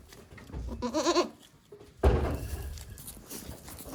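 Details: One-day-old baby goats at a Japanese goat farm on 17 April 2024: a brief quavering bleat with a trembling, nasal tone, then a sudden loud thump and rustling handling noise.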